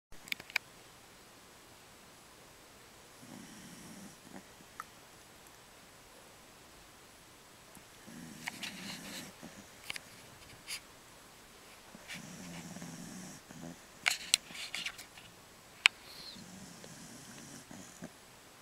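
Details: A 15-year-old female Jack Russell Terrier snores with low, rumbling breaths roughly every four seconds while twitching as she dreams.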